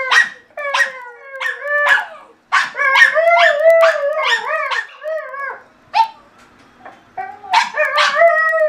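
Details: Benelli the German Shorthaired Pointer and Rocky the Bichon, two household dogs at play, give a near-continuous stream of yappy barks blending into drawn-out, bending howls, broken by a brief lull before another loud burst.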